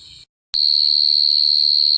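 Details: A cricket sings a steady, very high, unbroken trill that starts abruptly after a short quiet gap and holds one even pitch, with a faint low hum underneath.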